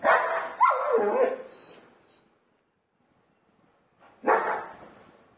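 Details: German Shepherd dog, aggressive, wanting a room door opened. A drawn-out, rough, barking growl with a quick upward yelp lasts about two seconds. After a silent gap, another harsh bark follows.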